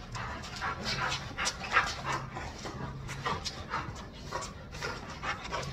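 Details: A male Chow Chow pants in quick, breathy bursts, roughly three per second, with a low rumble beneath, during tug-play training with his owner.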